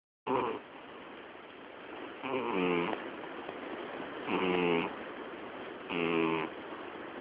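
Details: Miyabi, a female house cat turning twelve on 20 October, snores loudly in her sleep, loud enough to drown out the television: three buzzy, harmonic snores about every two seconds over a steady low hiss.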